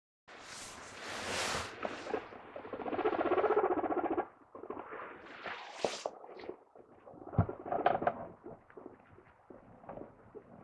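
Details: Pet guinea pig, a 2.5-year-old female adopted from a rehoming, vocalizing indoors: loud harmonic squealing bursts for about two seconds, then softer quick chirps and rustling patter.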